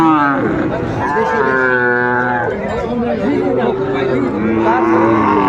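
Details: Sahiwal bull calves being traded at a crowded cattle market in Kurigram, Bangladesh, 14 December 2024; a loud, sustained, harmonic bellow dominates early on, followed later by another rising moo, with buyers and sellers talking throughout.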